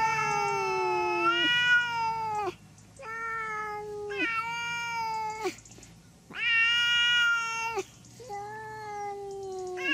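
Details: Domestic cat giving a run of five loud, drawn-out meows, each a rich harmonic wail that holds level then dips at the end. The first and fourth stretch past a second. Short quiet gaps fall between calls, with no other sounds.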